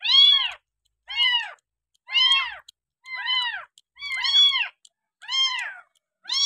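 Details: Village kitten abandoned by its owner and found beside a house, now bottle-fed milk and cared for on day six, giving high arched meows roughly every second, each with stacked harmonics, in a quiet indoor space.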